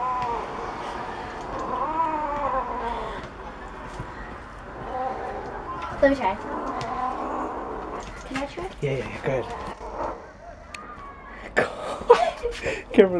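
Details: Domestic cat growling while eating bones; long wavering harmonic growl-yowl over the first three seconds, then people talking, laughing and clattering handling noises.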